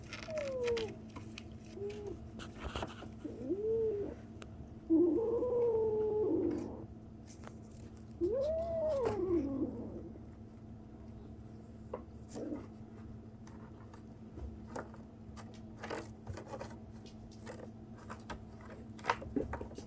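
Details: A kitten 37 days old making strange noises: several short rising-and-falling meows in the first ten seconds, then only soft clicks and rustling, with a steady low hum throughout.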